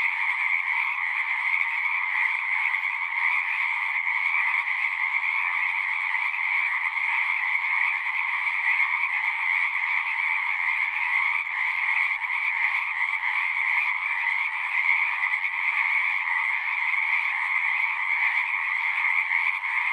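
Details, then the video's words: A chorus of frogs at a pasture pond, recorded on a Zoom 6, keeps up a steady shrill trilling for the whole stretch, layered at two pitches, with faint pulsing texture and no interruptions or other noises. "Frogs singing"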